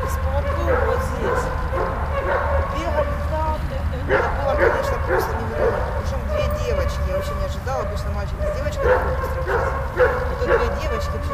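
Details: Dog at play with another dog, giving repeated short yips and barks in irregular bursts, over a steady low rumbling background noise.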